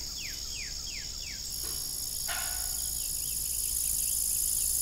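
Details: Crickets trilling in the evening beside an old farm windmill, a continuous shrill layered hum; a bird adds a run of quick descending chirps early on, and a brief creak sounds midway.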